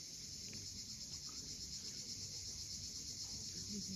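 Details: Crimean cicadas at sunset on the Fiolent coast drone in an unbroken, high, metallic buzz. Rolling low wave noise runs under it, and a small faint chirp sounds near the end.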